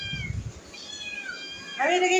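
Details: Domestic cats indoors while food is being cooked: several thin, high harmonic meows overlapping, some sliding downward, followed by a louder woman's voice at the end; low rumbling thumps at the start.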